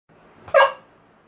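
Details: Siberian husky indoors barking while watching a compilation of other huskies on TV; a single short, sharp bark over a quiet room background.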